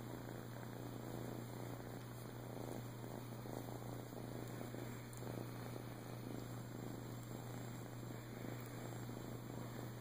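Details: Rescued male flame tip Siamese named Boo, adopted in Clearwater, Florida, in 2014, purring steadily: a soft rhythmic rumble without pauses, accompanied by faint scattered clicks, a constant low hum and high electronic whine.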